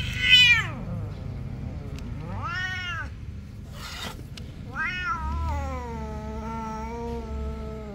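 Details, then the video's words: Cats quarrelling, biting and competing: a sharp falling meow opens, an arched yowl follows near three seconds, then a brief burst and a long wavering drawn-out yowl from five seconds on, over a low steady hum. "Virals meowing Kitty vs Cats quarrel, bite and compete"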